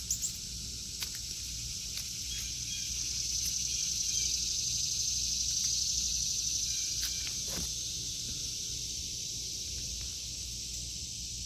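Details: An August 2023 garden, where cicadas produce a shrill, sustained hiss that rises gently in loudness through the middle and then eases off, with little else audible apart from scattered faint ticks.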